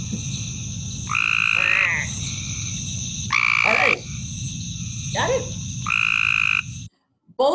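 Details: Cope's gray tree frog giving its blaring mating call, harsher than the sweeter eastern gray tree frog; buzzy trills in four bursts about two seconds apart, with a steady high insect-like hum and low rumble beneath.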